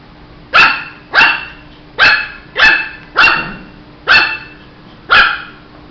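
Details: Shih Tzu puppy barking: seven sharp, bright barks spaced roughly every half second to second, each a short burst with strong harmonics and a quick fade, over a faint steady background hum.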